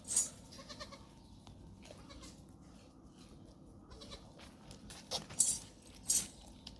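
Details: Goats of Tharparkar, 29 January 2025: faint, quavering bleats in the first seconds. Sharp knocks and bursts of hiss break through a constant low outdoor rumble.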